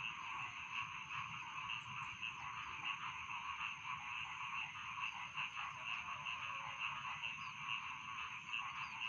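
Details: Rice field frogs calling at night in a dense chorus: a steady shrill trill layered with bright, regular notes repeating roughly twice a second, over a low continuous hum.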